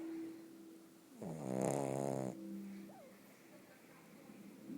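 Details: A pug called Bóris, fast asleep, lets out a single loud, vibrating snore lasting about a second, followed by quiet breathing and a brief faint squeak.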